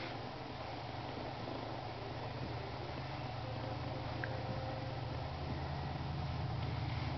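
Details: Smushy the kitten purring: a steady, low rumbling hum with a fine pulsing texture that continues unbroken for about seven seconds, with no other clear sounds.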